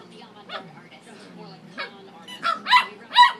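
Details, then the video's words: Pet dog barking at its squeaky toy: quiet low murmuring first, then three sharp, bright barks about half a second apart near the end. "barking at his squeaky toy"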